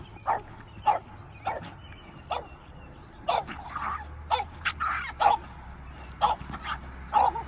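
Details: Doberman and French Bulldog confront an afternoon raccoon intruding on their boundary, the Doberman guarding her family. Short, punchy barks repeat about once a second, growing denser and more excited toward the end.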